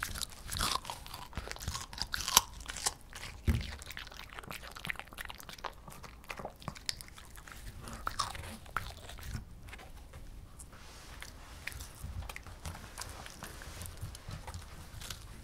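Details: A female Shih Tzu named Potato, five years old and food-loving, chews cucumber in a small room, giving a steady stream of fine crackling crunches and clicks, with a faint background hum.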